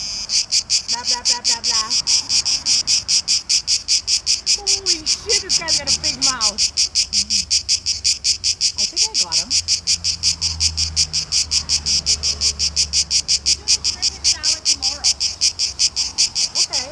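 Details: Cicadas, tzitzikia in Greek, in summer heat in Greece, males calling to attract mates: loud, harsh, high buzzing pulsed in rapid regular bursts about two to three per second, with faint swooping bird-like chirps and low background rumble.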